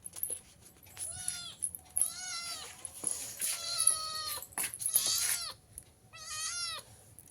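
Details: Sweater-wearing cat on a cold day yowls loudly again and again, about five wailing, harmonic meows across seven seconds, while a person talks softly in between.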